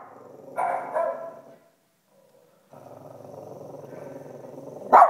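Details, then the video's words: Cavalier King Charles Spaniel responding to a barking dog on screen: two muffled barks, a brief silence, then a long, low, throaty growl ending in one sharp bark. "Barking Cavalier Strikes Back"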